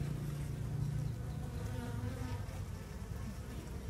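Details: Asian honey bees (Apis cerana, also called Apis indica), a swarm newly split from its parent colony, being moved into a new box; a steady low droning hum with fluctuating loudness.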